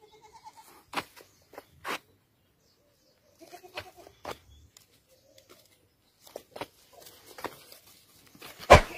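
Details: Kalahari Red goats, a South African breed, give short harmonic bleats near the start and again around four seconds, among frequent clicks, knocks and handling noises.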